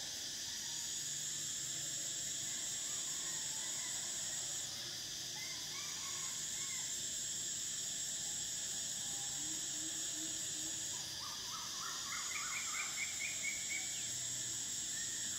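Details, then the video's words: Cicadas in summer keep up a sustained shrill buzzing that pauses briefly twice and resumes, while birds add scattered chirps and a rapid series of repeated notes near the end. "Cicadas: the sound of summer"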